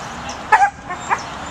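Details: A Pembroke Welsh Corgi puppy gives two short, high-pitched yipping barks about half a second apart while herding.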